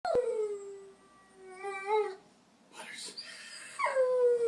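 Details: Pet puppy singing: a steady mid-pitched howl with rich overtones, a short pause, a rising wavering note, then a noisy breathy burst and a final sliding howl that settles into a long held tone.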